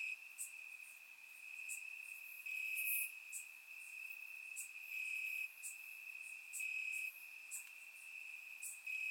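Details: Warm summer night in Bulgaria with crickets calling from the grass: an unbroken high-pitched trill underlies short bright chirp bursts that come roughly every second, the loudness rising and falling in waves.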